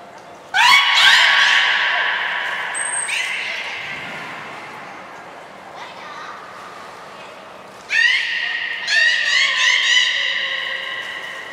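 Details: Captive beluga Nana, training at Nagoya Port Aquarium, 13 April 2019: two bouts of loud, nasal, harmonic calls, each opening with an upward sweep and holding steady, separated by a quieter gap with a brief high whistle tone.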